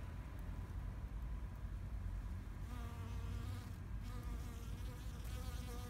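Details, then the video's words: Bees buzzing in a Japanese flower garden in spring 2021. A droning hum with a rising, falling pitch swells in midway as an insect passes close. A steady low rumble of wind or distant traffic runs throughout. "Sound of Bees in flower garden"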